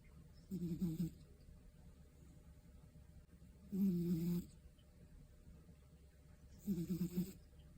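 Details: Scottish Fold cat snoring through a lazy afternoon nap: three low, buzzy snores, each about half a second long, spaced roughly three seconds apart, with near silence in between.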